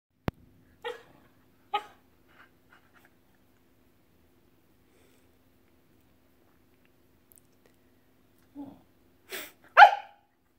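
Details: Samoyed protesting while her owner pets a golden retriever sibling instead of her: short, breathy woofs near the start, a quiet pause, then a few louder grumbling barks at the end in a quiet room.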